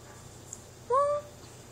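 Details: Domestic cat, one of two cats held together to talk to each other: a single short rising meow lasting about a quarter second, with a quiet indoor background.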